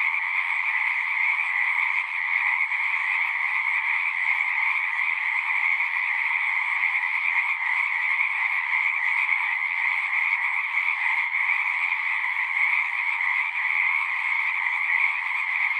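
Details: Frogs in full chorus at a pond in a horse pasture, recorded with a Zoom 6: a sustained, dense buzzing-trill drone continues evenly with no silent gaps.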